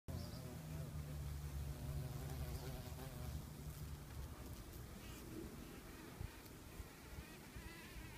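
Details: Eastern carpenter bee activity in Cambridge, Massachusetts, on May 7, 2015, with a female at her nest hole and a few males flying around; a low, steady droning buzz fills the first half, then fades into outdoor background noise.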